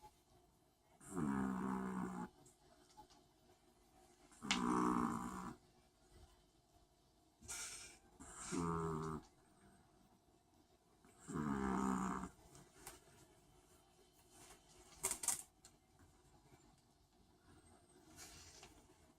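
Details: Sleeping long-haired Chihuahua snores steadily, about four drawn-out, rasping inhalations roughly every three to four seconds, each lasting around a second, with a couple of brief snorts between them in a quiet room.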